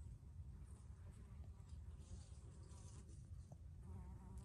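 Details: Bees foraging in basil blossom: a steady low buzzing hum, with one bee's wavering flight tone rising and falling near the end, over a soft rumbling background.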